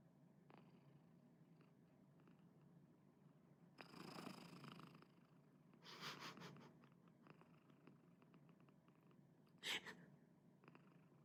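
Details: Pomu, a white female house cat, purring and snoring softly while sleeping beside her owner indoors; a low steady rumble with a few louder breathy bursts and rustling.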